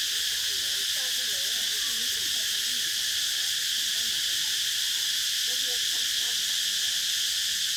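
Cicadas drone in a steady, high, hissing buzz that never pauses, with faint warbling notes far beneath.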